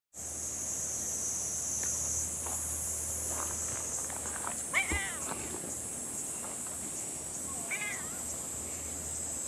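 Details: Tuxedo cat on a table overlooking the sea, acting affectionate and seeking attention; two short harmonic meows about three seconds apart, the first louder and bending downward, over a steady high-pitched hiss like insects droning throughout.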